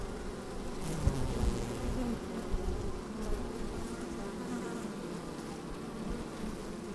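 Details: Honey bees moving about inside an opened hive on a fine sunny day with some wind: a thick steady droning buzz, a few brief louder buzzes early on, and low rumbles beneath the hum.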